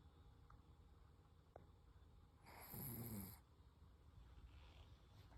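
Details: Sleeping Toy Poodle Koro lets out one rough, rattling snore of about a second, preceded and followed by quiet breathing and faint room hum.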